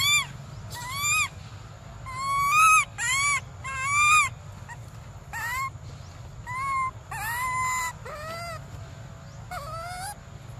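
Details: Baby monkey Briar crying for milk: a run of loud, tonal, wavering wails, some rising and some falling, arriving in quick bursts about every second, over a low steady background hum.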